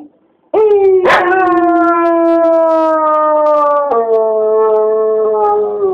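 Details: A dog howling: one long, steady, tonal howl beginning with a sharp yelp, holding level, then stepping down in pitch and sustaining to the end, strongly harmonic and clear.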